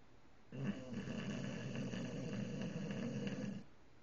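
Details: Tank, an English bulldog, gives one drawn-out snore with his eyes open, a deep, rough rumble with a fluttering rattle, steady for about three seconds, then stops abruptly, leaving a quiet room.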